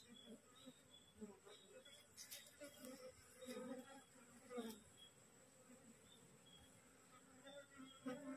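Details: Wild honey bee colony that has just split, resting in transit on a cassava plant and described as aggressive; low droning buzzes pass close by in uneven bursts, with a thin steady high whine and rustling handling noise behind.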